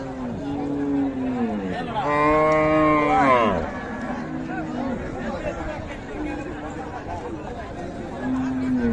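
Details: Cattle, meat bulls and cows, at the Raniganj livestock market in Dinajpur on 7 April: one loud, drawn-out moo rising then falling over about a second and a half, with softer lowing before and after, amid crowd chatter and traders bargaining.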